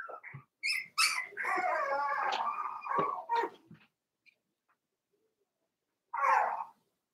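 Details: Cavalier King Charles Spaniel puppies aged four weeks, kept in an indoor pen with their mother Daisy: a few sharp yelps run into a long, sustained whine, followed by quiet and one more brief cry.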